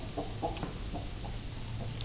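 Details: A land tortoise trying to climb onto a curb gives short, soft, hen-like clucks, about five spaced irregularly over two seconds, above a steady low hum.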